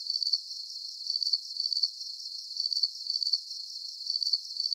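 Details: Crickets chirping at night for sleep relaxation: high, thin pulsed chirps, each a quick burst of several beats, repeated in clusters about twice a second with short gaps; no other sounds, no low tones.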